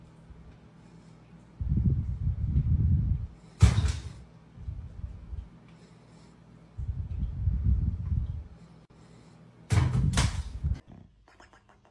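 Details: Deep rumbling thuds come in bursts, with two sharp bangs like slamming doors and faint background music; no animal voice is heard.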